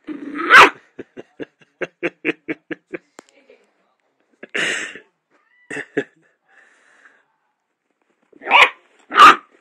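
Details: A young dachshund puppy barking at his own reflection gives sharp, high barks and a quick run of small yaps.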